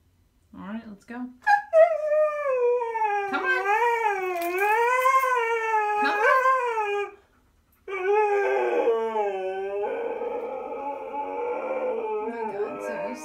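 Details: Stubborn Siberian Husky Zeus dramatically protests being taken for a walk, letting out long wavering howls that bend up and down in pitch, with short yelps at the start and a brief pause midway.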